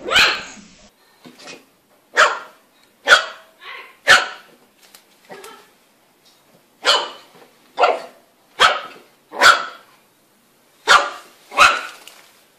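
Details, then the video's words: Puppies barking in a rapid, irregular series of sharp, high-pitched yaps, about a dozen loud barks mixed with softer yips, with short silences between bursts. "Puppies Barking"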